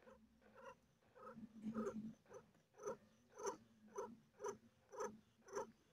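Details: A mother cat in pain while delivering four kittens purrs in regular strokes, nearly two a second. Each breath gives a brief, louder, breathy swell over a continuous low rumble.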